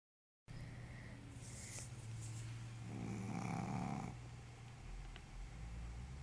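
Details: Sleeping pet dog snoring: a low, rumbling drone that swells into a louder, breathy snore in the middle, then settles back to a steady hum.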